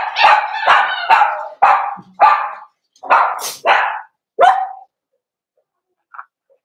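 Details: Cavalier King Charles Spaniels in a puppy pen on 13 December 2022, puppies socializing with several older household dogs they know. Rapid run of about eight sharp, bright barks over four seconds, uneven in spacing, then quiet with one faint yip.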